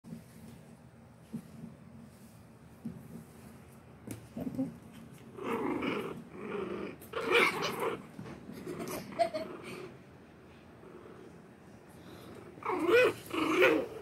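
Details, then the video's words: Shih Tzu puppies play-fighting with their littermates, growling at each other in play; low rough growls come in irregular bursts with snuffling and rustling, louder toward the end. "Shih Tzu Puppies Fighting?"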